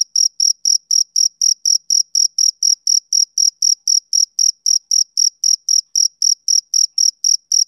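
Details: On a summer evening a male cricket chirps rhythmically, around 30 shrill, clipped notes at a rate of four per second, each with a thin higher overtone, in otherwise quiet surroundings.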